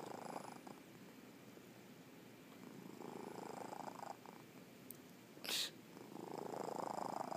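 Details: Paddles, a sleeping pet cat, snores in steady rasping breaths, a dense noisy texture repeating quickly with swells in loudness, a brief sharp click midway, recorded indoors close up.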